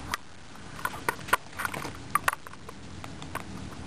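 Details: Guinea pigs kept as pets gnaw a carrot, giving a string of dry, snapping crunches roughly once a second, some doubled, with quiet hiss in between.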